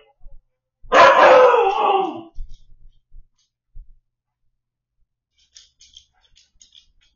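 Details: Siberian Husky puppy named Shadow, left home alone while the owners went to dinner, caught on a home camera; one loud, wavering howl-cry of about a second and a half, then a few soft thumps and faint clicks.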